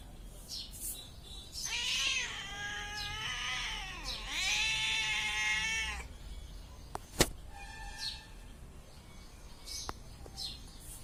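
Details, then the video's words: Cat producing two extended wavering yowls of about two seconds each, rich and slightly harsh, then quieter faint meows with a sharp click and soft knocking sounds. "ಬೆಕ್ಕಿನ ಸೌಂಡ/ಗರ್ಜನೆ ಕೇಳಿ ಹಾಗು ನೋಟವನ್ನು ನೋಡಿ. Cat Sound and Look See."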